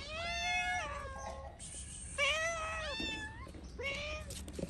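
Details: A stray cat in Morocco begging for food gives three long, clear meows, each holding steady then dropping at the end, spaced by short gaps, with a soft human voice and faint street noise around them.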